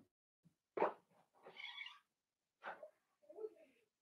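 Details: Blenheim Cavalier King Charles Spaniel puppies from a litter of five, playing with their mother indoors in a puppy pen; sharp yips and squealing whines in brief bursts separated by short pauses.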